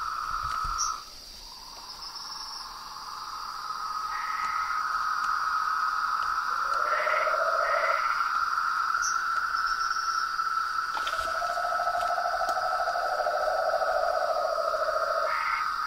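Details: Night chorus of frogs and toads: long, even pulsed trills hold at two pitches, a higher one running almost throughout and a lower one joining in bursts, above a steady shrill insect drone.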